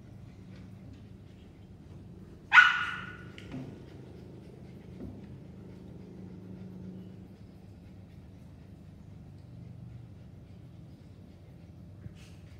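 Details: A Siberian Husky playing with a British Shorthair blue cat on a farm gives one sharp, high bark, followed by near silence.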